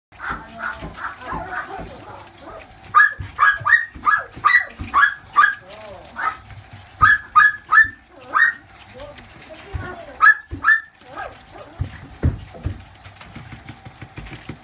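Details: Boston Terrier puppy, noted on June 20, giving bursts of short, high, whining yelps in rapid, uneven runs, pausing briefly between groups, with some quieter squeaks and a faint steady hum behind.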